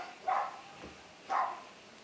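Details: Dog giving two short, sharp barks about one second apart, each a bright burst with harmonic bands, over a quiet background hiss.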